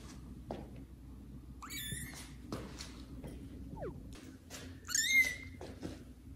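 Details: Indoors, kittens Caramel and Zephyr meet the household's adult cats Kira and Daddy and meow loudly: two high, bright harmonic cries, one near the start and a louder wavering one later, with soft thumps and rustling between them.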